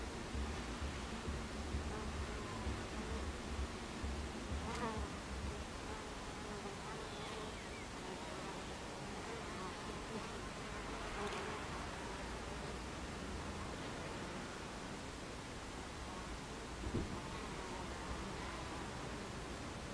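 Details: Hive entrance of Buckfast bees on 26 July 2013, 14:30: steady crowded buzzing with low droning tones and several brief louder passes of individual bees, plus a couple of faint knocks.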